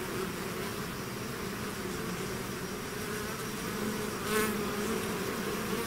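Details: Swarming bees leaving their hive: continuous thick droning buzz, even in loudness, with one bee passing close and briefly louder toward the end.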